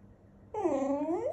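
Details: Pet poodle named Popo indoors in a small room, nagging because he wants his pillows: a loud, drawn-out whine that dips and then rises, with rich harmonics, following a person's quiet speech.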